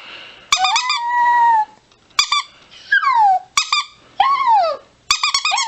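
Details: Chihuahua mixing quick high yaps with drawn-out howls that glide downward, several bouts broken by short silences.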